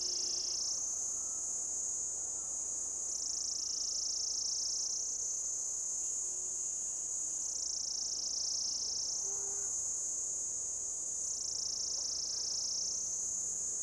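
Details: Cicada, orange-coloured, on an old deodar tree trunk heavy with lichen in Jabbarkhet forest, Uttarakhand, India, giving a mating call: a continuous loud shrill drone that swings between lower and higher pitch roughly every two to three seconds.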